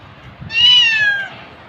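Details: Cat giving a single drawn-out meow lasting about three quarters of a second, a clear tonal cry that holds steady then slides gently downward at the end, over a quiet background.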